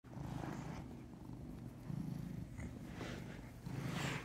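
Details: Huey, a big male brown tabby domestic cat kept as a family pet, purring steadily: a low, rumbling, continuous drone with gentle swells in loudness, no other sounds.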